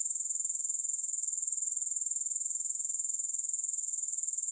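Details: Shrill, continuous grasshopper stridulation, no music, sitting very high in pitch with a fast regular pulsing rhythm and no other sounds.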